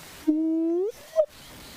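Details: A hyena gives a long, low hooting note that slides slowly upward, then a brief higher hoot, amid many calling birds near a termite mound and drainage lines in the bush during a sunrise safari drive.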